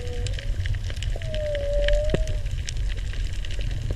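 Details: Humpback whale song heard underwater while snorkelling over coral off the old Mala Pier: a short rising note, then a long, steady, mournful moan that gently bends.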